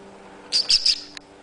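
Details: Young male pet dwarf hamster named SCHUMMY, two months old, "talking" with his owner: three quick, very high-pitched squeaks in close succession, each slightly bending in pitch, followed by a faint click, over quiet background hum.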